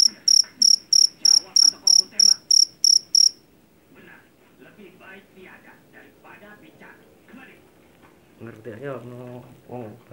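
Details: Jangkrik jeliteng, a Javanese field cricket caught in a rice field and known for its loud voice, gives sharp, high chirps about three a second for three seconds before stopping. Quieter murmuring and rustling noises follow.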